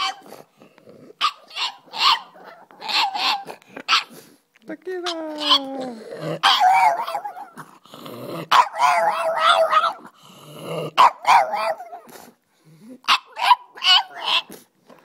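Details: Pet dog singing and howling: a series of short, wavering, whiny howls in bursts, with one longer tone gliding downward midway and brief pauses between phrases.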